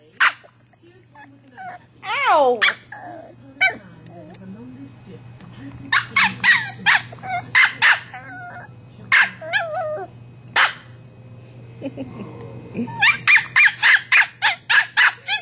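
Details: Bailey the pet westie barks at his toy ball. Scattered yelps and a rising whine come first, then clusters of quick, high barks after quiet gaps, with people talking in the background and a faint hum.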